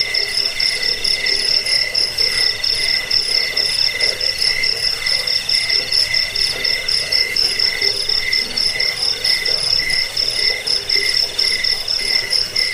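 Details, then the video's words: A chorus of crickets used as a bedtime and rat-repelling sound. High, rapid pulse trains trill continuously, with a sharp whine above them and irregular groups of chirps overlapping throughout. "Suara jangkik"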